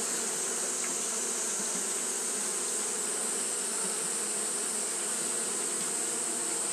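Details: Japanese honey bees fanning through a hot day produce a constant buzzing roar of countless wingbeats, steady and unvarying, with a sharp high hiss over a lower hum.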